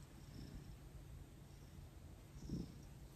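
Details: Male house cat being massaged on the evening of December 6, 2021, about 18 days after joining his new home. It purrs with a low, even rumble that swells slightly near the end. No other sounds are heard.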